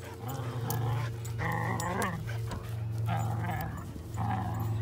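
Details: Two German Shepherd mix dogs fighting over a stick outdoors: sustained low rumbling growls with short harsher bursts between them, and a person talking in the background.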